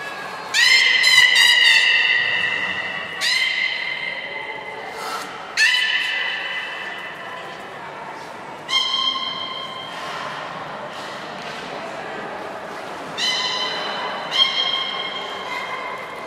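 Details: Beluga Nana in training at Port of Nagoya Public Aquarium, 13 April 2019: about six bursts of bright, squeaky, harmonic calls, some sliding or buzzy, separated by short gaps in an echoing indoor hall.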